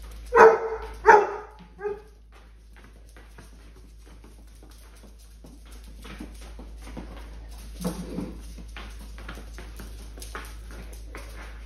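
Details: Basset Hounds at Easter, playing with a huge Mr. Peeps toy indoors: two loud, sharp barks in quick succession open the moment, then a softer third bark, followed by quiet room noise and faint rustling.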